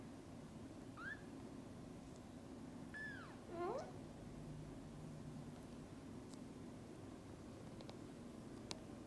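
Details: Kittens just awake, calling their mother cat to come and play outside: two high, arching mews followed by a shorter rising mew, over a low steady indoor hum with a few faint clicks.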